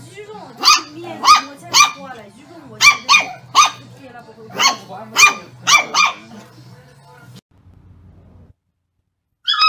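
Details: Dog barking at its own reflection in a mirror: about eight sharp, bright barks, single or in quick pairs, spread over six seconds. A low steady hum sits underneath, then near silence and a brief final sound.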